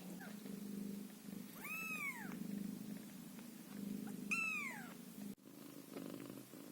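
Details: Caramel, a ginger Scottish Fold kitten whose eyes have barely opened, keeps up a continuous low purr broken by two loud, bending mews a few seconds apart, with a soft knock near the end.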